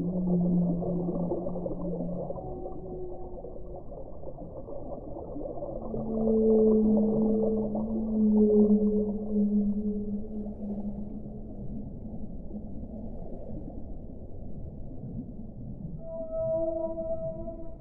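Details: Whale song with long, low, drawn-out moans, several overlapping and sliding slowly, a sustained deep tone through the middle, then higher steady tones near the end, all over a constant rushing underwater hiss.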